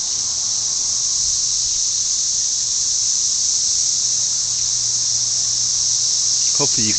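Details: Dense cicada mating chorus, millions of insects producing a constant high, sizzling drone; a person's voice breaks in briefly at the end.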